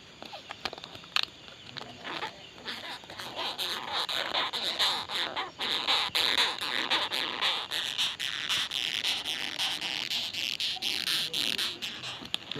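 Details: Longhorn beetle of the tribe Batocerini making strange noises: rapid, scratchy, high-pitched rasping pulses about twice a second, uneven in rhythm, with a hissing tone throughout.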